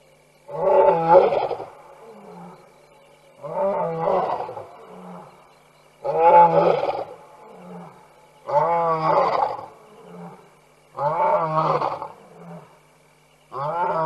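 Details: Lion roaring in the night at a waterhole, Tembe Elephant Park, September 2022, wildlife cam; a rhythmic sequence of six deep, powerful roars roughly every two and a half seconds, each trailed by short lower grunts.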